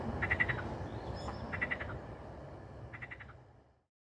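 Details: ['Croaking frogs in natural ambience: three short bursts of rapid, rattling pulsed croaks about a second and a half apart, over a low rumbling background that fades out at the end.']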